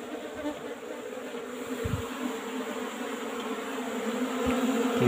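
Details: Asian honey bees (Apis cerana) kept in an old-style hive box during a honey harvest; a steady, low droning hum with even harmonic bands holds throughout, swelling slightly toward the end, with faint handling knocks.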